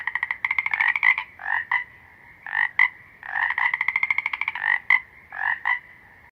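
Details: Toad croaks in a steady rhythm, alternating long rapidly pulsed rattling trills with short buzzy double notes, repeated about every second with brief pauses, close and clear over a quiet background.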